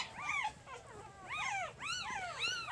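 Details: A newborn pup of Jig's litter, three days old, gives about five high arched squeaks in quick bursts, each sliding up and down, with short gaps between them.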